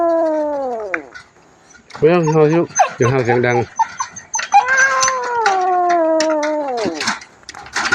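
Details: Kitten that turned up alone at Wat Pong Chai temple in Chae Hom, Lampang, Thailand, giving long, drawn-out meows that slide downward in pitch, one at the start and a longer one midway, with human voices talking in between.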